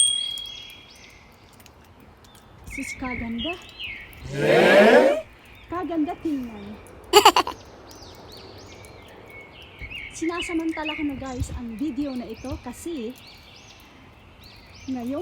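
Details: A coyote (Canis latrans) howls at a ravine on a snowy winter day, in wavering, quavering notes that rise and fall quickly, in two bursts.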